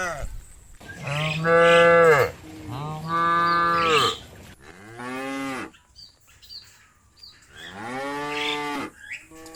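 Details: Cows roaming open fields call to their companions to come home to the barn: loud, drawn-out harmonic moos, each one to two seconds long, rising and falling, four calls with quiet gaps between.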